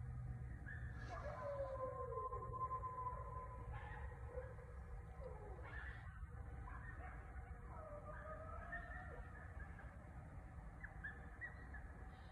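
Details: Several coyotes howl together at night in the suburbs, in overlapping, quavering voices that slide upward then fall away in long wavering notes, over a steady low rumble.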